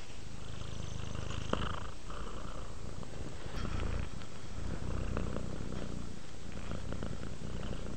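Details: A relaxing house cat keeps up a deep, even purr, a low fluttering rumble throughout, with a few faint clicks and rustles on top.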